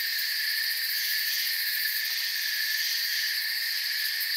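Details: Night-time forest cricket chorus: a constant, piercing high trill from many insects. The layered tones barely change in level and no other sound stands out from the drone.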